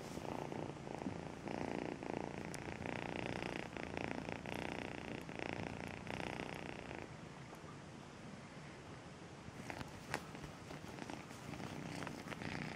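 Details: Melissa the companion cat, once a two-month-old kitten, purring in pulsing rhythmic bursts for about seven seconds, then fading to a soft low rumble before briefly strengthening again.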